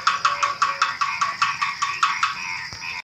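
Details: Frog calling at night just before dawn: a rapid run of short, hard croaking pulses, about two and a half per second, fading after two seconds, over a steady high-pitched insect hum.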